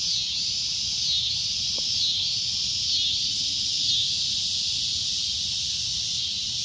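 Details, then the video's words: Cicada producing a loud, shrill drone, a high buzzing wash that rises and falls in slow waves about once a second, with a brief faint click near the start. "CICADA A Loud Shrill Droning Noise"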